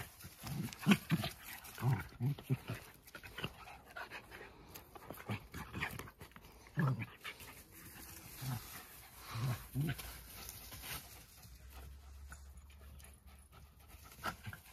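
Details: Two Jack Russell Terriers, close friends, play-wrestling in a harmless fight; low rough growls and snorts come in short bursts through the first seconds and again later, with panting and a person speaking nearby.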